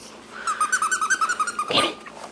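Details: Six-week-old Shih Tzu puppy boys playing indoors, one giving a rapid run of about a dozen high, evenly spaced yips over a second, ending in a louder squeal.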